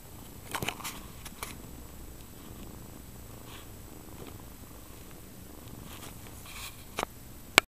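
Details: Mother domestic cat Kyra Mae nursing and bathing her kittens Prince and Tink indoors; a quiet, steady low purr runs throughout, broken by scattered soft clicks and smacking sounds from licking or suckling, with one sharp tap at the end.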